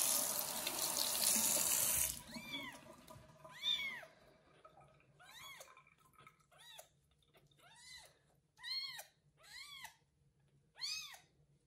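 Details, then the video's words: Young kitten Kubik, just bathed and being tended by a foster mother cat indoors, gives a string of loud arched meows after two seconds of running tap water; about eight calls, spaced irregularly, with a low steady hum underneath. "Foster mom cat takes care of loud meowing kitten after his first bath"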